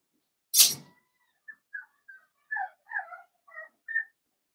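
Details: Blenheim Cavalier King Charles Spaniel puppies from a litter of five, born on New Year's, playing with their mother Paris in an indoor puppy pen. A sharp knock, then a string of short, high squeaky yelps and squeals, some rising and falling.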